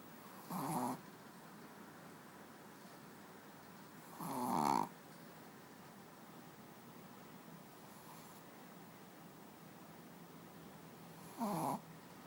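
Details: Pet dog snoring while asleep on a bed indoors: three rough, breathy snores at irregular gaps of about four and seven seconds, with a quiet steady hiss between them.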